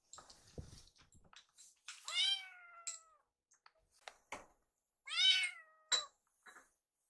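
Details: Rescued foster kittens Yuki and Piyo on their last night before leaving, gathered on the foster mother's lap indoors: two drawn-out, slightly falling high meows about three seconds apart, with soft rustling and small clicks between.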